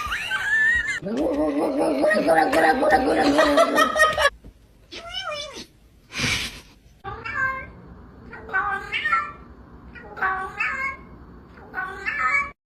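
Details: Domestic cat meowing repeatedly in a room, with a run of short, wavering, whiny meows in the second half after a person's talking and laughter at the start.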